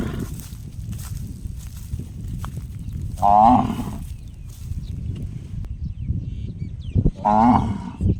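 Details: Cow calling with a strange sound like a struck gong: two short, bright, ringing notes roughly four seconds apart, each with layered overtones, against continuous low-pitched background noise.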